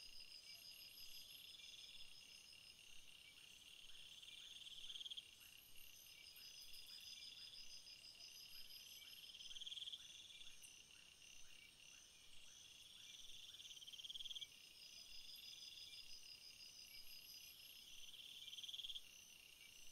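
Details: Crickets in a meadow of field flowers, a steady high trilling chorus with short pulsed chirp bursts recurring roughly every four to five seconds, several callers overlapping.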